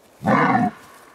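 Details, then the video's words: Red deer stag during the rut in the Augustów Forest, Poland, where two fighting stags locked antlers and foresters of the Głęboki Bród forest district freed the survivor; a single short, loud, harmonic-rich roar lasting about half a second in a quiet forest. "Dramat podczas rykowiska"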